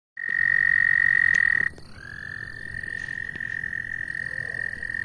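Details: Frog sitting on a person's shoe, giving a loud, steady, high trill for about one and a half seconds that breaks off, then a softer, level trill that continues to the end.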